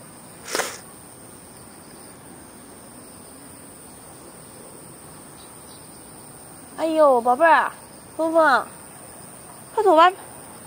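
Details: Early-morning garden walk in Beijing on 13 August 2013 with two cats, Fengfeng and Huangxiaomi: after a brief click and a long quiet stretch, a run of four rising-falling meows comes close together near the end.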